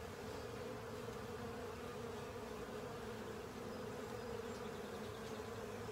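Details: Crowd of honey bees and fellow insects feeding on a honey filter, continuous low humming buzz of many wings without breaks.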